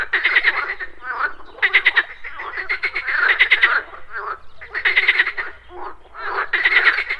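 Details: Frogs croaking at a pond in the morning: bursts of rapid, rattling pulsed croaks, each lasting about a second, separated by short pauses, with overlapping callers and faint insect buzzing.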